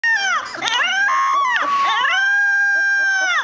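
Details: Litter of young domestic puppies whining: high, drawn-out crying whines that slide up and down in long wavering tones, overlapping voices filling the whole moment, loud and close.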